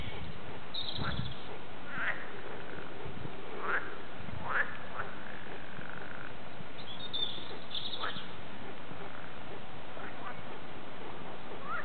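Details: Frog chorus recorded in the Warande, Tilburg, with short rasping croaks scattered every second or two, some rising sharply, against constant low background noise.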